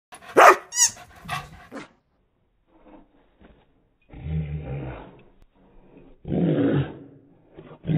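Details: Belgian Shepherd Groenendael filmed on an iPhone: a couple of sharp, loud barks open the recording, then after a pause come low, rough rumbling bursts and a broader noisy outburst near the end.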